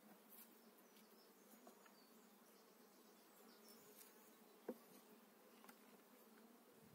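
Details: Honey bees in spring 2018, eight frames of bees just transferred into a new hive: a steady, droning hum with layered tones holds throughout, broken by a few light clicks and one sharp knock near the fifth second.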